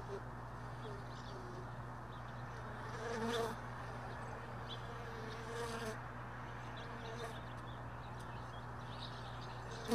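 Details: Honey bees around beekeeping hive boxes stored early in the morning after a day in a truck bed; soft, steady buzzing with occasional louder passes of single bees, a low mechanical hum throughout.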